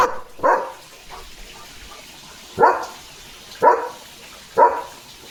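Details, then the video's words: Early-morning German Shepherd at home barking at a dog passing the gate: four or five loud, separate woofs about a second apart, with quiet gaps between. "German Shepherd Barking"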